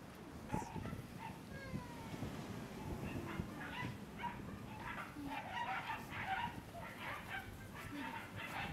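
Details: Red male Shiba Inu puppy, 41 days old, at a breeder's kennel; short high whimpers and yips, some rising or falling, scattered irregularly, with puppy-like squeals clustering toward the end over low background rumble.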